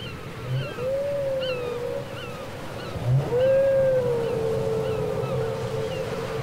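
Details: Whale singing from a cassette tape: two long arching moans, each swelling up and sliding slowly down, with faint higher chirps above and low thuds in a hissy background.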